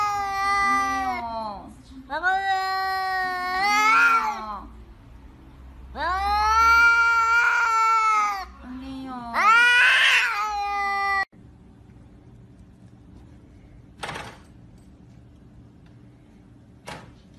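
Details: Frightened cat giving four long, drawn-out harmonic yowls over eleven seconds, each wavering and rising then falling in pitch, back to back with short gaps, followed by near silence with a few faint clicks.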